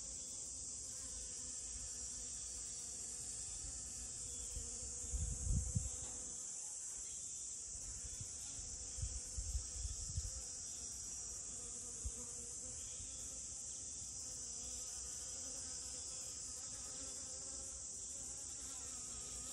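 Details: Honey bee buzzing around rose moss flowers, a steady low hum with faint stacked overtones running the whole time, a high constant hiss above, and a few soft thumps of handling or wind near the middle.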